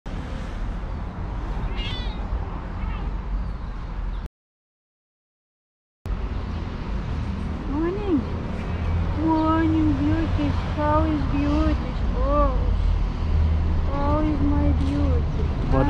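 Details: Hungry fluffy long-whiskered cat waiting on a garden wall; after a brief gap, repeated wavering meows roughly every second, some rising then falling, over steady low traffic-like rumble and a person speaking.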